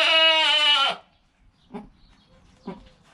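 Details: A newborn goat kid, less than an hour old, beside its calm mother, gives one loud, wavering, high bleat, followed by two soft snuffling sounds.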